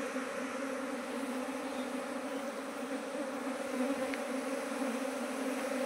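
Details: Steady low drone of a mass of honey bees at hives that a beekeeper increased from one to nineteen in two months; unbroken buzzing, slightly swelling, with no other clear sounds.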